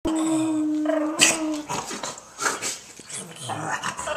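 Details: Dog making a Chewbacca-like vocal noise: a steady, held moaning tone for about a second, then a break into rougher, grumbling growls and short yelps, with a person's voice mixed in.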